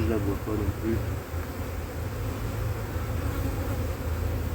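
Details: Honey bee colony, drone-laying after failed first matings on splits, checked as cold weather sets in, 2024: a steady low hum of massed bees, with brief speech-like harmonics in the first second.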